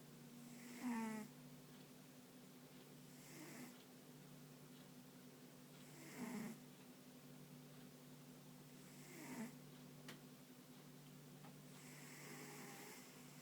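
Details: Ponta the dog, fast asleep with paws and ears occasionally twitching, gives raspy, buzzing snores about every three seconds. Some are strong and others soft and breathy. A low steady hum fills the background.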